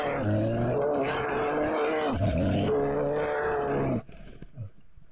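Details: Two grizzly bears in Yellowstone National Park growl as they meet over a kill, a deep, continuous, rumbling groan of about four seconds, then near quiet with a last brief grunt.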